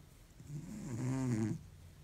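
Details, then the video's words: A cat in deep sleep, exhausted after a long week, gives one slow, low snore about a second long, rough and rumbling with a rising then steady tone, followed by quiet breathing. "deep sleep cat snores like an old man"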